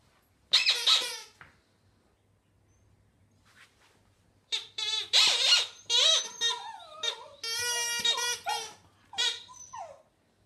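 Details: Border Terrier dog singing indoors: high, wavering, whining howls in bursts, bending up and down in pitch, with a short quiet pause before a longer run of yodelling wails.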